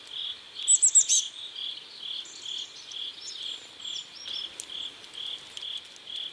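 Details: Crickets at sunset by a river in South Korea: steady pulsed chirps, a burst about every half second at one even pitch, with a brief series of high, thin bird notes near the start.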